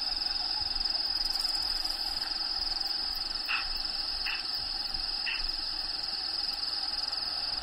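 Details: Crickets inside a bearded dragon vivarium, with natural habitat sounds playing in the background: a steady high shrill trill runs throughout, broken by three short buzzy bursts a second apart midway, over constant hiss.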